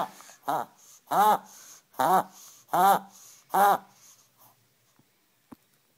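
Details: A Maltese terrier gives the end of a quick run of hoarse, duck-like quacks, each with a rise and fall.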